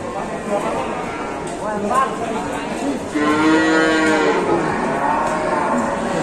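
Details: Big cow in Indonesia amid a gathered crowd; after muffled crowd noise, a loud sustained moo with rich harmonics starts near the three-second mark and holds to the end.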